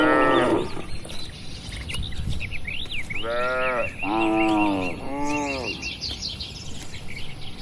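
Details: Cattle feeding in a quiet barn: one harsh bellow at the start, then after a pause three close moos, each arching in pitch, while small birds chirp and twitter steadily in the background.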